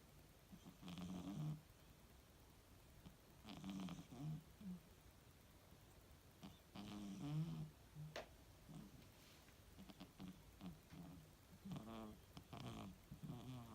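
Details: Gracie, a 2-year-old female British Shorthair cat, snores softly during a catnap, each breath a low, raspy rumble roughly every two to three seconds, some with a fluttering, rattling edge.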